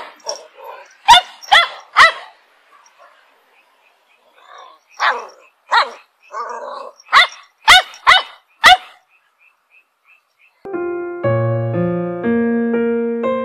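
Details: Eight-year-old female dog in Korea, patrolling around the house on guard duty, gives sharp barks in bursts of two or three, with quieter huffs between, over about nine seconds; steady electronic music tones begin near the end.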